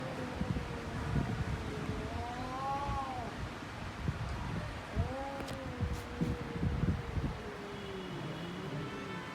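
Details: Domestic cats fighting, giving long drawn-out wavering yowls that rise and fall in pitch, several in succession with short breaks, over a steady low rumble of background noise.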